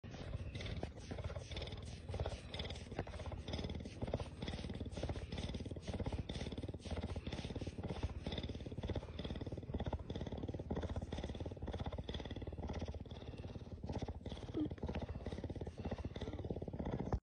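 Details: Cougar. A cougar produces a deep, continuous purr, a fast throbbing rumble held at an even loudness. The pulsing vibration carries on without pause from start to finish.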